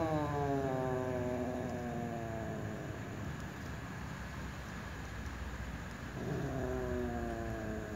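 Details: Ginger cats, two of them, meowing by a door: a drawn-out harmonic meow sliding downward at the start, several seconds of steady background rumble, then another descending meow near the end.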